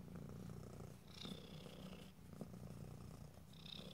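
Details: Pet cat purring close to the microphone, a dense low throbbing drone with short higher whistly breaths near the start and end.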